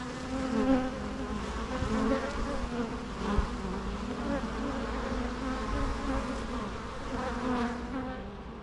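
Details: Bees hum in a thick, even drone with layered wingbeat tones, rising and falling gently as insects move about, quieting slightly at the close.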